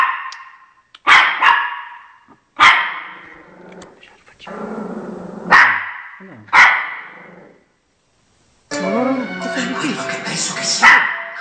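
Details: Chocolate, a pet Shih Tzu, barks to guard its territory from dogs appearing on television. About six loud, sharp barks come at uneven gaps, with a short silence, then television voices and music.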